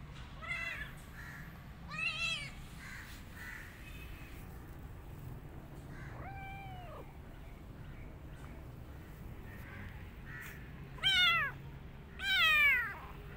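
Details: Kitten hiding in a jacket, giving high arched meows, several faint early calls then two loud rising-falling meows near the end, over a steady low hum.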